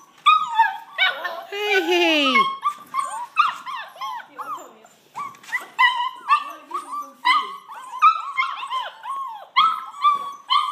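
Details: Border Collie puppies calling in a chorus of high, sharp yips and short whines, rising and falling and repeated in quick bursts about twice a second, with one longer, drawn-out descending whine early on.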